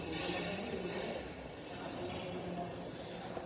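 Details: Steady broadband hiss and rumble with faint indistinct voices, no clear animal call.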